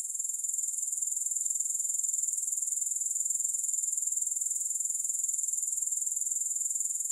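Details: A continuous sizzling trill from grasshoppers: high, thin and evenly pulsed at about three beats per second throughout, with no music and no other sounds.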